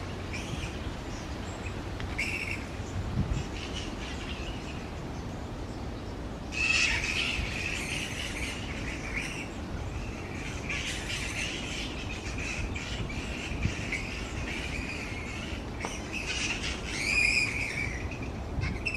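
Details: Many grey-headed flying foxes hanging in a big roosting colony in trees, noisy; constant high chattering mixed with harsh, broadband squawking bursts at about seven and seventeen seconds over a murmuring background.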